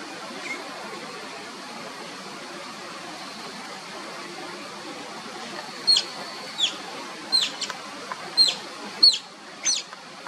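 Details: Playing Oriental small-clawed otter pups: about six seconds of quiet hiss, then a run of short, piercing, falling whistles repeated roughly every half second.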